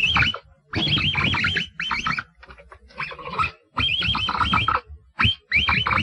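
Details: A capybara gives bursts of high, undulating whistled squeaks that rise and fall in quick wavers, layered over a low grunting rumble, with short silent gaps between the bursts.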